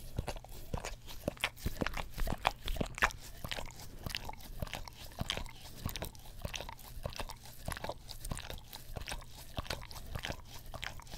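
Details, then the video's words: A pet English Cream Golden Retriever licks an Orapup tongue cleaner brush close to a Blue Yeti stereo microphone, producing soft, wet, crackling tongue clicks in an uneven stream of about two strokes a second. "ASMR Dog Licks Orapup Tongue Cleaner Brush - 1 Hour - English Cream Golden Retriever"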